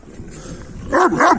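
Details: Male Kangal dogs trying to reach a female give two quick, loud, ringing barks close together after a stretch of quiet background.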